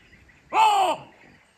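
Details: Chacma baboon calling from a tree in Kruger National Park, South Africa: a single loud, harsh bark of about half a second, slightly arched in pitch, against a quiet natural background.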